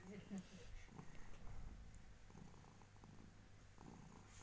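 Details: Sleeping orange tabby pet cat purring indoors, a low steady rumbling pulse throughout, with soft voices and rustling in the room.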